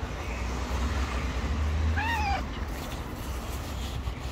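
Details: A poor hungry stray cat looking for food in a garbage container lets out a single clear meow that bends down at the end, with constant low traffic noise behind.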